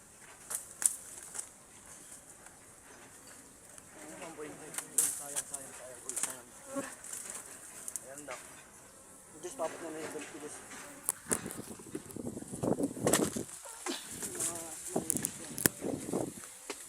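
Honey bees buzz with a low, wavering hum that rises and falls as they fly close by.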